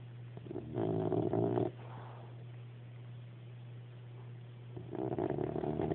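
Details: Gladston, a dog worn out by doggie daycare, sleeps upside down and snores: two rough, rasping breaths about four seconds apart, each lasting around a second, over a steady low hum.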